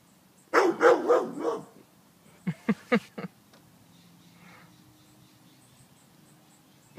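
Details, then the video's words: Excited dog, possibly named Bell, barking while urged to find the rat: a rough run of three fast barks, then three short sharp yaps, then quiet with faint background hum. "The dog is freaking out and barking like crazy"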